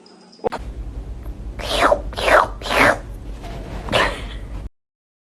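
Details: Pet cat giving four drawn-out meows, each one sliding downward in pitch, three in quick succession and a fourth after a short pause, ending abruptly in silence; a faint hum underneath.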